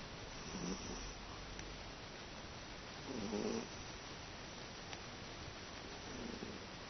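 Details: Teto the cat sleeping comfortably indoors, snoring like an old man: three soft, low, rasping breaths spaced roughly every three seconds against a quiet background hiss.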